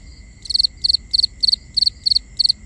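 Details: Nighttime crickets recorded binaurally, giving bright pulsed chirps in quick, even succession, roughly three per second, each chirp a short cluster of clicks, with a constant thin high tone running underneath and soft low background noise.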